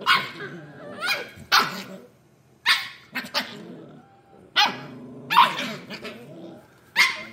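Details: Scottish Terrier puppies playing roughly together. Sharp, rasping barks and yaps come about every second, with short gaps. Low growly undertones run between some of the barks.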